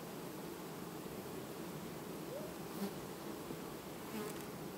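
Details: Honey bee colony replacing its queen quietly in August; constant droning hum of many bees, with a couple of brief louder buzzes as single bees pass close, near the third and fourth seconds.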